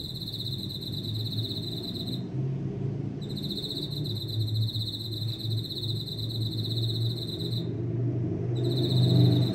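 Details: Insect heard from a jungle of houseplants at home, its high ringing trill broken by two short pauses, resuming each time, over a low background rumble.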